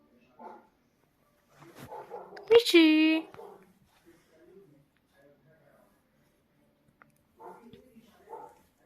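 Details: Indian Spitz puppy, described as angry, lets out one loud, high, whining yelp lasting about half a second with a strongly falling, harmonic-rich tone, framed by soft human speech before and after in otherwise quiet surroundings.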